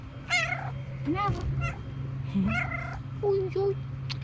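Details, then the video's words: Domestic cat giving short, thin meows in a room, a couple of brief rising-falling cries spaced apart, with a steady low electrical hum and a person talking softly nearby. "Videos De Gatos Maullando | Cats Meowing Sound Effect"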